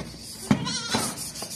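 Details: Beetal goat from Hasilpur, Bahawalpur district, Pakistan, gives a short, faint, wavering bleat mid-clip amid sharp knocks and clatter, with background noise throughout.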